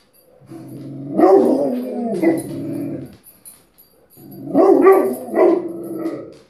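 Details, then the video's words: Rottweiler howling in two drawn-out, wavering bouts, each rising then falling over about two to three seconds, with a short pause between; a voice says no repeatedly just before. "Rottweiler howling"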